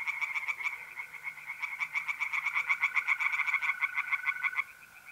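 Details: Tree frogs singing by night in a pond in north-east Italy in mid-April, with mole crickets trilling: rapid, pulsed croaks repeated about three or four times a second, several callers overlapping, then a steady high trill remains.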